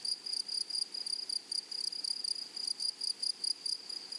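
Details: Grasshoppers in a flowery meadow prairie, wild, producing a high, thin, tonal chirping in short pulses, several bursts each second in a steady, insistent rhythm with no other clear sounds.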